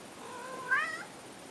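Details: Domestic cat indoors giving a single drawn-out meow, rising then falling with a bright wavering middle, about half a second long, over a quiet room background.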